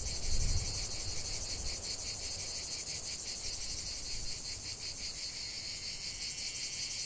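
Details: Many cicadas produce a sustained, sizzling high-pitched drone that throbs in quick regular pulses; a short low rumble sounds right at the start, then steady faint background noise.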